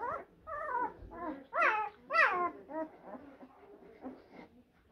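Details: Blue Great Dane puppies from litters born in April 2023 give high, whining yelps with clear harmonic tones, several quick rising-then-falling whimpers in a row, the loudest in the middle, in a quiet indoor setting.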